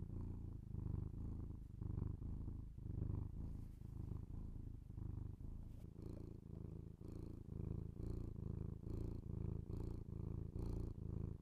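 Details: Domestic cat purring in a binaural ASMR recording, a deep buzzing rumble repeating with each breath about twice a second, accompanied by faint crackling and tapping sounds.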